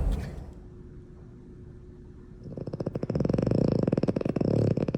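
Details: A French bulldog, a breed prone to snoring, snores while asleep. It starts softly, then swells into a loud, rattling rumble of fast, rough, purr-like pulses.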